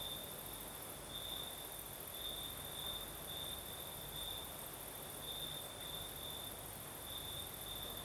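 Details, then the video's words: Night chorus of crickets in Crimea, in the south, as a night breeze blows: an unbroken high trill beating in quick pulses at a constant pitch, over a faint sizzling band of higher insects and a low breathy wind noise. "Сверчки поют"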